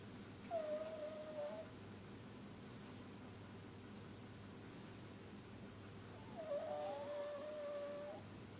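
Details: Pug, said to be unable to breathe properly because of inbreeding, gives two thin, nasal, squeaky whines about a second long and six seconds apart. Steady background hiss fills the quiet room between them.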